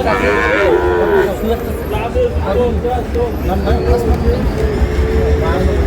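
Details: Sahiwal cattle, bull calves at a market where a Dhaka farmer buys them, 16 March: one drawn-out harmonic moo in the first second, then a busy background of chatter and crowd noise.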